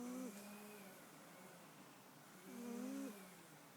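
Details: Domestic cat asleep and snoring: a brief nasal snore at the start, then a fainter low drone, and a second buzzy, slightly rising snore after about two and a half seconds.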